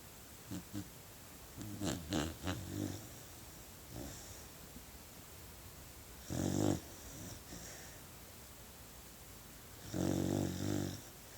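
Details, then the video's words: Puppy asleep and snoring, giving a cluster of rough, snorting inhalations, then longer rasping snores about every four seconds, each a broad, throaty rumble over quiet room hiss. "Snoring Puppy"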